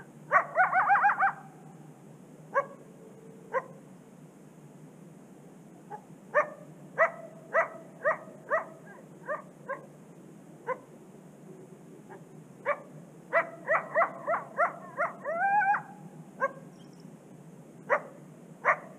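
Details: A coyote along a secluded Canadian prairie river gives sharp, scattered barks and yips, with a brief wavering, rising howl near the end.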